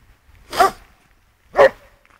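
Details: Playful female Border Collie outdoors during a game of fetch near a river: two sharp, loud single barks about a second apart, with quiet background between them.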